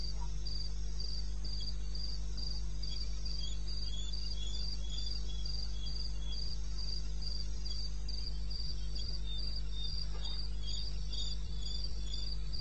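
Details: Wild crickets in eastern Botswana at 2:30 am on 21 May, chirping in a rapid, regular series of shrill pulses, with additional softer callers joining later and a continuous low-pitched drone underneath.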